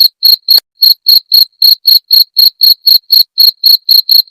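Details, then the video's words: Close, loud cricket pulses for keeping rats away: crisp, shrill chirps spaced about a quarter second apart, a faint click after the first few, then an even, unwavering beat. "Suara Jangkrik pengusir tikus"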